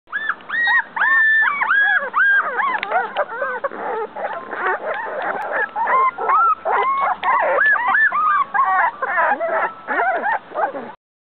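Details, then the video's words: Several Pit Bull puppies crying because they are cold: high, wavering whines that rise and fall, overlapping in a steady stream with almost no pauses, some cries bending sharply upward, loud and close with no other clear sounds. "Pitbull puppies crying"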